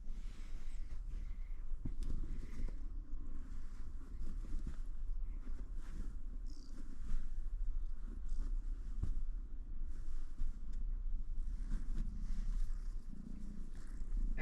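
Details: Night-time purring from a domestic cat that came up to a truck being worked on: a soft low rumble rising and fading in bouts over several seconds, with occasional clicks and clatter of work nearby.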